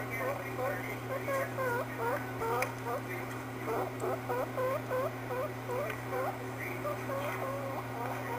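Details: Smokey, a pet guinea pig, makes a rapid run of short, curved squeaks. They come in quick bursts with brief pauses, over a steady electrical hum in a small room.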